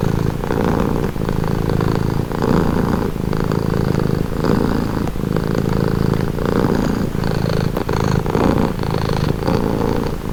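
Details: Continuous purring from a house cat, a deep buzzing rumble that swells and dips in a steady breathing rhythm roughly every second, close and even in loudness throughout.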